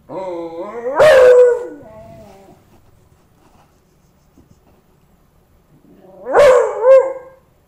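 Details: Pet beagle howling at a dead cockroach it had befriended, apparently trying to wake it after it was stepped on; two loud, harmonic howls that rise sharply and then waver and trail off, one early and one near the end, with near-silence between.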